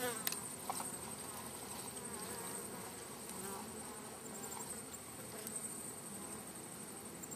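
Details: Steady low hum of many bees from a wild hive being collected, a dense droning buzz throughout with faint high whine above and a few soft knocks of handling.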